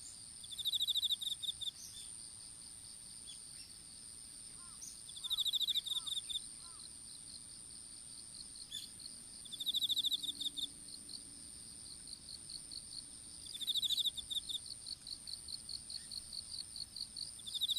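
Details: Insect song in an open strawberry field where seedlings were being planted, smartphone on the ground: bursts of fast high pulsed trills recurring about every four seconds, a steady shrill whine, a run of separate chirps toward the end, and four faint low notes.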